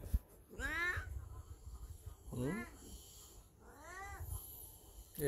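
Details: Elderly black house cat in heat calling indoors: three long, wavering meows, each rising then sliding down, spaced about every 1.7 seconds, with brief soft thumps and low room rumble between them.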